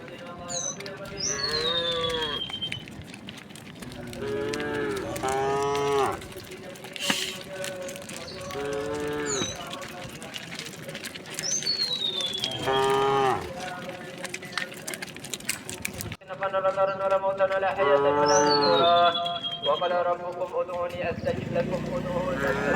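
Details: Large herd of tame village cows and oxen moving peacefully along a road to their resting place, giving repeated overlapping moos from several animals, some short and some drawn out, while birds whistle and chirp overhead.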